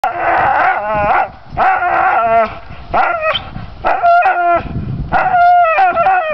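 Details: Pit bull stubbornly gnawing at low pine branches, giving loud, tonal, whining cries in rapid bursts with brief gaps between them.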